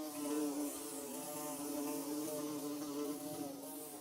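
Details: Bees building their nest, filmed in Mizo country, make a steady, droning buzz with a low hum and many layered overtones that waver slightly in pitch, holding at an even loudness throughout with no other sounds.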